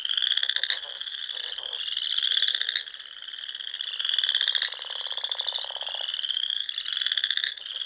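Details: Dusk frog chorus from the lakes of Nebraska's Sandhills in spring: overlapping high trills with irregular louder pulsed bursts, one long lower buzzing trill in the middle.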